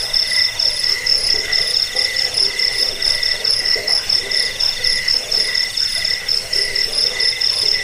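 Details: Chirping cricket, recorded as a rat repellent, sleep aid and tutor for songbirds; piercing high trills rise and fall in short grouped pulses, roughly two per second, layered over a faint lower buzzing tone.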